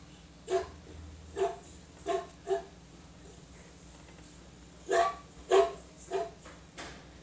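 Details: Dog barking in short deep woofs, four spaced barks, a pause of about two seconds, then a quicker burst of four more, over a steady low hum.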